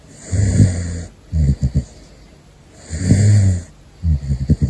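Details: Sleeping caracal named Gosha snores: two long, low rasping inhales, each followed by shorter stuttering, fluttery exhales, over about five seconds.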